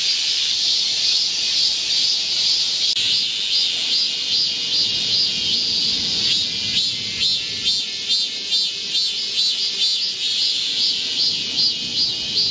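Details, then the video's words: Midsummer forest chorus of Korean cicadas, 25 July 2024, in heatwave weather: shrill continuous buzzing, with a faster throbbing pulse of rapid regular swells emerging in the second half. "Korean cicadas, a chorus in a midsummer green forest | 한국 매미들의 한여름 초록 숲속의 합창"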